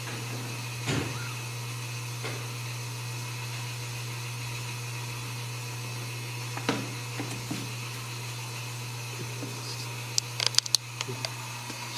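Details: A constant low electrical hum fills a room, broken by a few soft clicks and sharp handling knocks near the end, with no animal voice.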